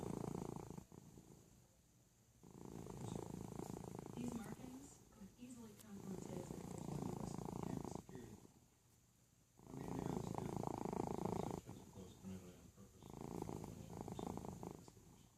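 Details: Felix, a pet domestic cat, snores while asleep indoors: long, rasping, breathy rumbles of about one and a half to two seconds each, separated by short quiet pauses, five snores in sequence.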